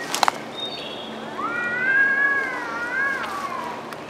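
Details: Cats arguing in the woods, outdoors: one long drawn-out harmonic yowl that rises, holds steady, then wavers and falls, preceded by a couple of sharp clicks.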